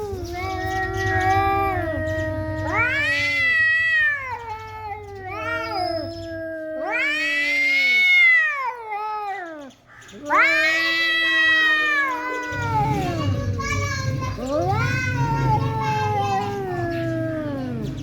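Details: Two domestic male cats fighting at home after a strange tomcat entered the house, the resident cat very angry and threatening: overlapping warbling yowls that rise and fall, with a low steady hum underneath at the start and end.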